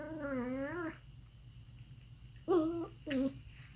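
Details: Aardvark giving odd calls: a long wavering whine of nearly a second, then two short nasal squeals in quick succession, over a low steady hum.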